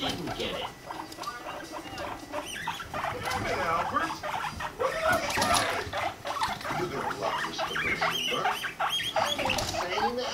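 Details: Guinea pig pair Rumply and Fluff mating, Fluff at five months; rapid chattering chirps and wavering squeaks at an irregular clip, punctuated by short higher-pitched squeals.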